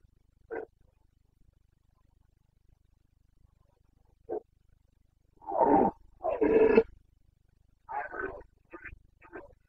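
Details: Red deer stag of the Carpathians in rut, Bucovina, late September 2022; two isolated brief grunts, then a pair of loud drawn-out roars followed by quicker choppy grunting bursts.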